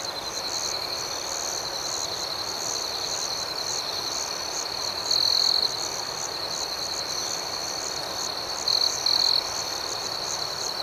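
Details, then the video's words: A dense nocturnal chorus of crickets keeps up a constant high shrill hum with rhythmic chirping pulses. Short louder trills break through around five seconds and again near nine seconds. "Soothing Cricket Sounds"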